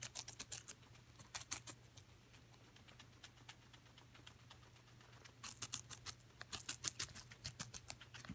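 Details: Coco the guinea pig crunching celery: bright, crisp bite clicks in quick clusters at the start, a quieter stretch, then another long series of rapid crunches.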